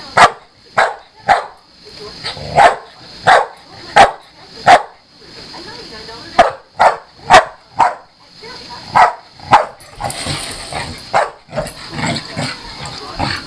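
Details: Pit bull dog play-fighting with a Maine Coon cat, with neither animal hurt. About fifteen sharp, loud barks come in a steady series every half second or so. They soften into rougher, mixed noise near the end, over a constant high-pitched hum.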